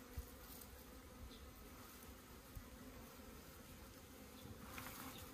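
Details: Kept honey bees hum around an opened hive in Puning, Guangdong, while their comb is harvested. The buzzing is a low, even drone with a couple of soft knocks.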